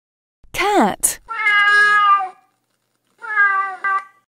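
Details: Domestic cat meowing: a short burst at the start, then a drawn-out harmonic meow of about a second, a pause, and a second shorter meow with a slight falling tail.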